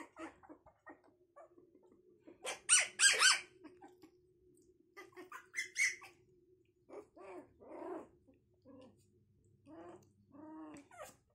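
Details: Young puppies taking first steps make scattered squeals and yelps, a few loud harsh bursts mid-way, then softer arched whines spaced a second or so apart over a steady faint hum.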